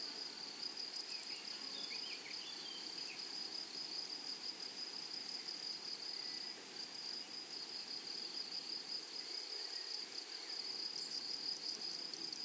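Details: Flowery meadow chorus of grasshoppers: a constant shrill insect tone for the whole stretch, a few faint chirpy notes early on, and a burst of quick rasping pulses near the close.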